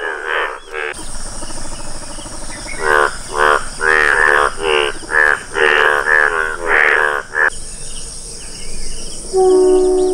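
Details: Rare yellow Indian bullfrog (Hoplobatrachus tigerinus) calling: a run of about nine harsh, buzzy, strongly harmonic croaks, each under half a second and closely spaced, against a steady high-pitched insect hiss, with a brief earlier croak pair and later faint tones.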